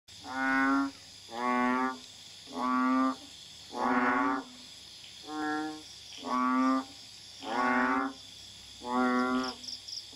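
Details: Banded bullfrog (Kaloula pulchra) advertisement call: deep, nasal honks about one every 1.25 seconds, at night in a garden in Kuala Tahan, Pahang, Malaysia, recorded in May 2015.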